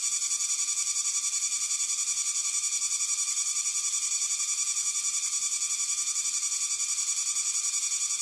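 A cicada sings a shrill, unbroken buzz that throbs steadily several times each second.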